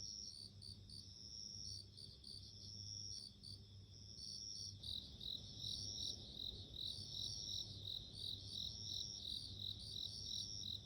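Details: High, tinkling pulses of bell cricket song, repeated steadily about three times a second. Partway through, the ringing grows denser and a broader hiss rises in the background. A low hum runs throughout.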